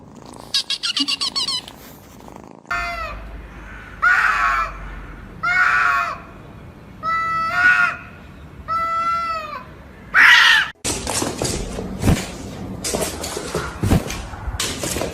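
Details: Domestic cat meowing in a funny pet compilation: a series of clear harmonic meows, each about a second long, coming every one to two seconds, followed by clattering noise and brief human voices.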